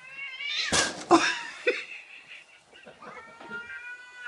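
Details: Indoor domestic cat meowing at a cat-shaped balloon a man moves around, also hissing and scratching at it; loud drawn-out harmonic yowls with a sharp burst near the start, then wavering falling meows, a person speaking faintly.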